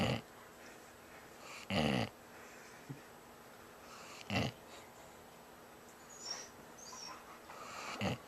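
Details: Sleeping Bloodhound snoring: rough, breathy snorts roughly every two seconds, separated by quiet pauses, with a faint high squeak in the background.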